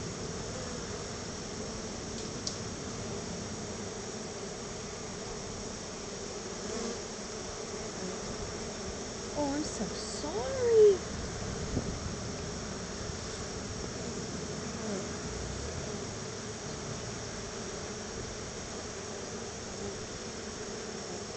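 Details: Honey bees at a home hive receiving a gift of store-bought honey; a softer, constant humming drone runs throughout, with a few brief louder bumps and faint human sounds near the middle.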